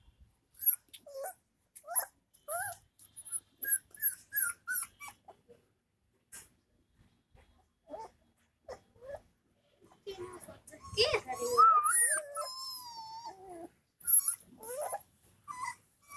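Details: Bully kutta (Indian mastiff) puppy in Bhiwani, Charkhi Dadri, Haryana, India. It gives short, high, tonal whimpers and yelps that bend up and down in quick bursts, then a longer, denser run of wavering whines near the middle.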